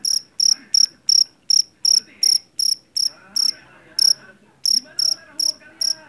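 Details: Jeliteng cricket, a Javanese field cricket from a rice field, famed for its shrill song; crisp, high chirps spaced unevenly, slower than three per second with short gaps, over faint murmuring background sounds.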